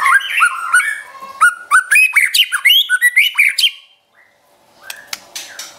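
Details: Pet white-rumped shama singing a training song meant to provoke other shamas: rapid run of loud varied whistles, upslurs and sharp notes for nearly four seconds, a brief pause, then softer chips and a few crisp notes.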